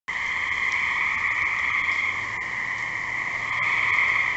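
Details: Gray tree frog calling: a continuous trilled chorus, strong around mid-high pitch with overtones, steady and unbroken across the whole recording, with no other clear sounds.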